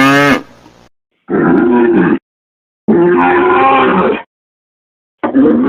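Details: Cattle mooing: short, hoarse, mid-pitched calls in three abrupt bursts about a second long, separated by silent gaps, with a brief higher harmonic sound at the very start.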